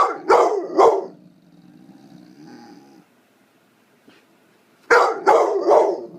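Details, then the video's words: A 9-month-old blue fawn Pit Bull barks to get attention: two sharp barks, then a low rumbling growl and quiet, then three more loud barks in quick succession. "9 month old blue fawn Pitbull barking at nothing"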